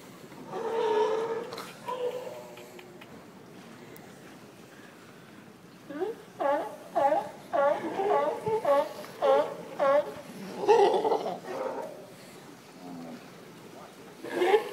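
Seals give voice-like, wavering cries, then a quick series of short yelping calls about once a second.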